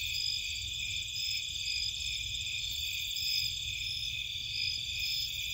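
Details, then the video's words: Marshland crickets and insects from Cape Cod calling after dark: a thick, even wall of high, pulsing trills with a few sharper chirps woven in and soft low-frequency noise below. "Nighttime Cricket Sounds"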